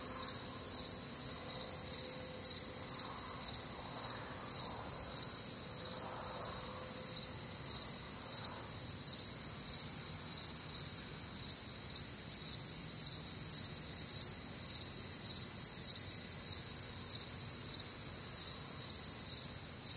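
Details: Many crickets calling together through a humid Midwestern summer night, a continuous high trill with regular chirp pulses near two per second and faint soft murmurs low underneath early on.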